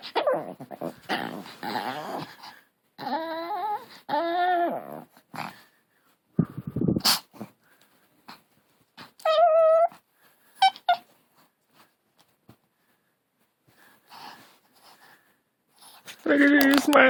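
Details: Long-haired Chihuahua puppy making growly sounds likened to a hunting dog: rough, gravelly grumbles mixed with wavering, harmonic whining howls that rise and fall, then short yips and scuffling, ending in another drawn-out whine.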